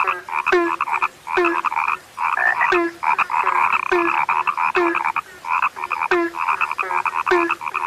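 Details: Frog, said to be rare, giving irregular bursts of harsh rattling croaks about seventy times a minute, each starting with a brief low note, overlapping into a dense buzzing chorus.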